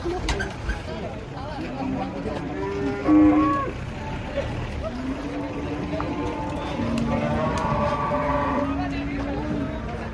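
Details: Cattle with unusual colouring come off a truck, giving low, sustained moos that hold a steady pitch for several seconds, with a short sharp call near the start, amid constant background noise.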